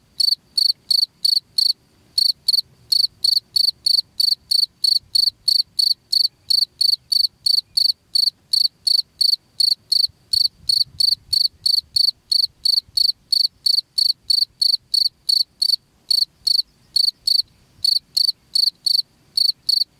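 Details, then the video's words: Rat-repelling cricket recording; a long, persistent run of piercing pulsed chirps, about three each second, fairly even with only a couple of brief breaks, over a quiet low hum. "SUARA JANGKRIK PENGUSIR TIKUS"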